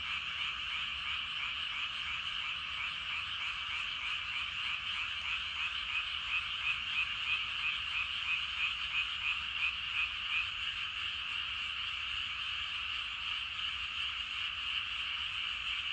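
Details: Evening frog chorus from rice paddies with a great many frogs, thick overlapping croaking, rhythmic pulses about three per second standing out in the middle of the stretch over the unbroken din.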